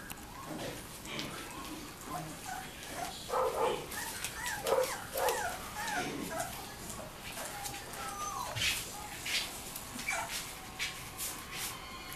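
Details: Playful Labrador Retriever puppies, 3.5 weeks old, recorded on a Kodak EasyShare Z5120 camera, give short high yips and squeaky whimpers in scattered bursts, with faint human speech and soft rustling in the background.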